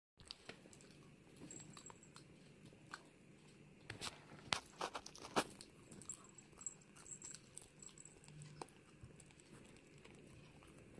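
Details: A female Pomeranian chews a dog chew gum, with sharp crunches and wet clicks in an uneven rhythm, over some background noise.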